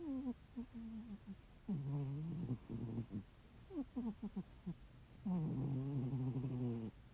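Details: Sleeping ginger tabby house cat with very loud snoring: uneven low rattling breaths, some long and grinding, others broken into short clicking stutters, ending in a longer buzzy snore.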